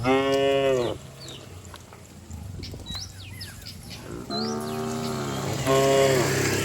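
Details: Herd of cattle jumping and running down a green hill in a rural village; three loud harmonic moos, with quick rising bird chirps in the quieter gap between them.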